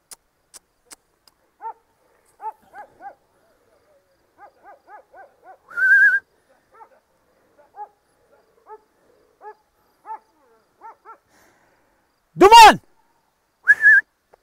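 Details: Kangal shepherd dog named Zalim, stranded on rocks, gives short, high, arched whimpering yelps in irregular runs, then one loud harsh bark-like burst; a person's steady whistles call to it twice.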